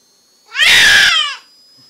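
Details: A deaf domestic cat, female and born deaf, gives one very loud meow indoors: a single harmonic-rich yowl under a second long, falling slightly in pitch, with a faint steady high whine behind it.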